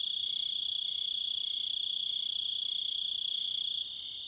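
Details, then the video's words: Crickets in a nature recording, a steady high-pitched trilling chorus with rapid pulses, holding constant before the level drops slightly near the end. "Crickets And Wolves - Nature Sounds"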